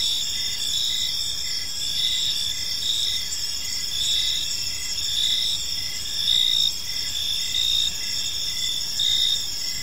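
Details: Crickets sing through an evening in a tranquil park, overlapping high trills pulsing in a near-regular beat about once per second, a steady shimmering chorus over faint distant low noise.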